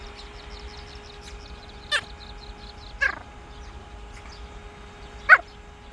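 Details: Mango, a Pomeranian aged two years nine months, barks at a fan switched on for the heat: three short sharp yaps spaced about a second or more apart over a steady humming drone.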